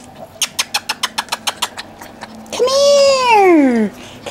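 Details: Indoors with breeder puppies Brett and Bunny in Akron, Ohio, a quick run of about ten evenly spaced taps gives way to one long, high whine that slowly falls in pitch.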